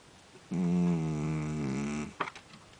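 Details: Sleeping tuxedo cat Java Jackson, rescued, giving one long, even, buzzing snore of about one and a half seconds indoors, followed by a short soft click.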